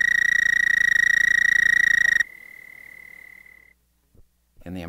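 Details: An American toad (Bufo americanus) recorded at Monett, Missouri gives its long, steady, high musical trill, a fast even buzz used as a mating call to attract females.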